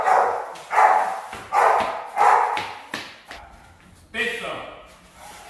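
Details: Young Rottweilers training for high-performance guard duty give five rhythmic, harsh barks roughly every seven-tenths of a second. A man's voice follows, with a last bark near the end.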